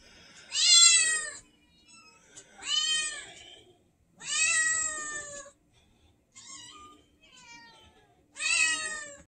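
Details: Whiny domestic cat indoors, five drawn-out, harmonically rich meows about two seconds apart, each rising then falling, with a couple of softer, shorter mews between them in a quiet room.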